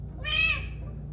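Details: Pet cat meowing while watching a squirrel; one short, bright, harmonic meow, rising slightly then falling, lasting about half a second over a low steady hum.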